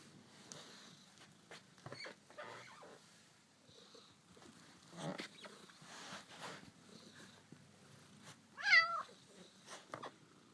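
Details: A pet cat trails the camera indoors amid soft rustling and thumps, then gives one quick, rising-and-falling meow late in the recording.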